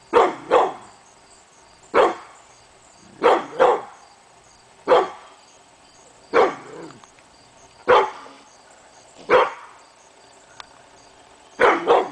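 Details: Steady morning barking by a pit bull called Hemi Bleu, seemingly at nothing, August 2012; paired and single barks repeating roughly every one and a half seconds, about fourteen in all.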